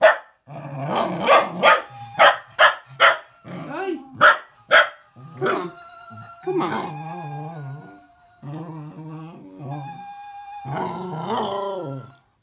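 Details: A cocker spaniel puppy gives a run of sharp, high barks, reacting excitedly to a Gizmo toy's warbling electronic whistle-singing, which drives her mad.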